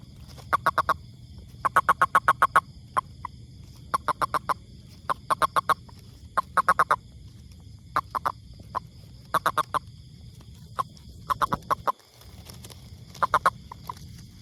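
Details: Toad calling in short bursts of rapid clicking pulses, each burst of about four to eight pulses, repeated irregularly with pauses of one to two seconds; steady low hum underneath.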